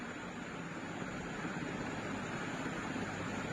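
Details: Steady broadband rumble like wind or passing traffic fills the whole stretch, with no animal voice standing out.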